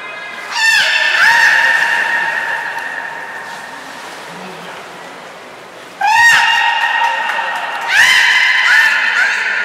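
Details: Beluga Nana or Niko in a training session at Port of Nagoya Public Aquarium on 7 October 2018 utters three loud, abrupt harmonic squeals, the first long and fading, then two more after a quiet gap, in a reverberant indoor space.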